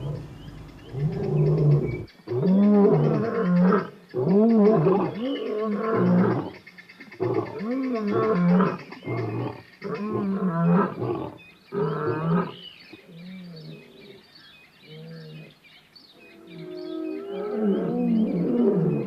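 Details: A lion in the African bushveld roars in a series of deep, rumbling, arching bellows that slowly trail off.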